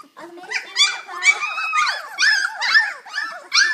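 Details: Kennel puppies of a litter at play, October 2012, socialized with kids; a dense run of high-pitched squealing yelps and whimpers, several every second, rising and falling without pause.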